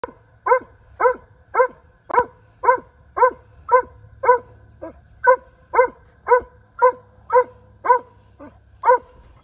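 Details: A Weimaraner barks up a tree, steadily giving about two sharp, mid-pitched barks every second.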